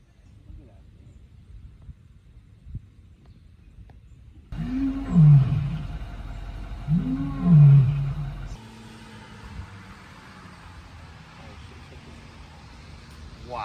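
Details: Captive lion in an enclosure at a resort, heard up close as it paces: two deep, low, powerful roars a few seconds apart, each a rising then falling moan, over steady background rumble.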